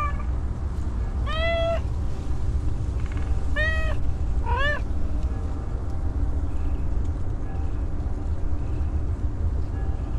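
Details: Hungry homeless female cat that has not eaten for a long time gives three clear, rising-then-falling meows in quick succession over a steady low rumble of background noise.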